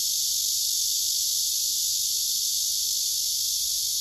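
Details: Male cicada singing on a tree trunk, filmed by phone, with other cicadas gathered nearby: a steady, dense, high-pitched buzzing hiss that runs unbroken with even loudness throughout.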